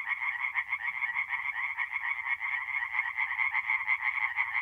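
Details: Night chorus of many tree frogs at a forest pond in north-east Italy in April, a relentless buzzy rattle of quick repeated pulses, overlapping callers, slight low hum in the background.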